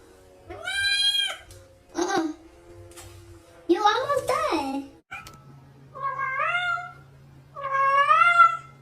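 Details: House cats talking back to a woman singing to them: a string of five or six separate meows, several rising then falling, mixed with her speech and a steady low hum in the room.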